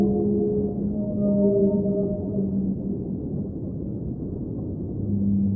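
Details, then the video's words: Whale vocalizing beneath the sea, several sustained tonal hums layered together like a low chord, fading midway under rumbling water noise before a deep moan returns at the close. "Underwater Whale Sounds - Ambient Soundscape | Whale Singing"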